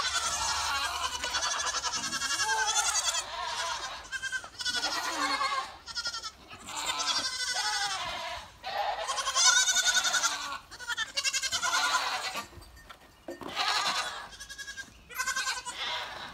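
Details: Several goats bleating in the rain, weather they reportedly dislike even as light drops. Wavering, nasal bleats overlap and follow one another almost without break, with brief quieter gaps between bursts.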